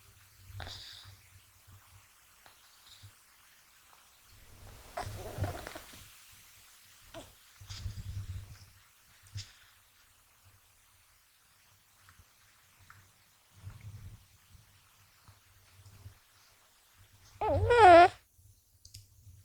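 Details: Deeply asleep and not waking whatever is done to him, the male American Shorthair kitten Gash gives low, pulsing snores at intervals. Faint rustles of touching are heard, and a louder brief voiced sound comes near the end.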